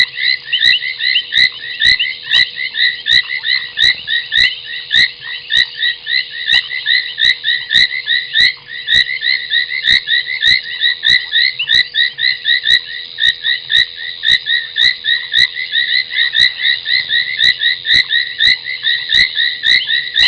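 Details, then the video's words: Foam nest tree frog calling at night, 23:46 on 30 January 2021, at Gowrie dam on Djuma Game Reserve, Sabi Sand Wildtuin, South Africa, from a live waterhole camera: dense, continuous crackling chatter of short clicky notes, with sharper sporadic clicks throughout. "Foam Nest Tree Frog"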